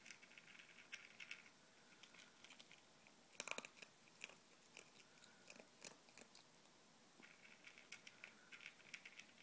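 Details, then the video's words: Indoors, Izzy the ferret munches a bowl of ZuPreem kibble with FerretVite and chicken jerky. Rapid gritty crunching, with a dense cluster of loud bites in the middle and lighter clicking chews around it. "Izzy the Ferret Chowing Down"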